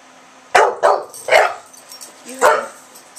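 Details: Agitated English Bulldog named Milton defends his street in Oklahoma, trading barks through an open window with a neighbour's small dog; four rough, punchy barks come in quick succession, with faint room noise. Recorded September 6, 2011.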